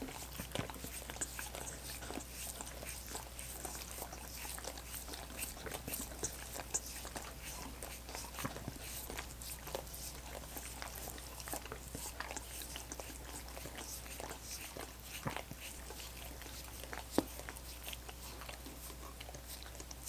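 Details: Wet, rapid licking from dogs working at coconut water popsicles, dense tongue clicks and slurps repeating without pause for the whole stretch, one louder snap near the end, steady low hum beneath.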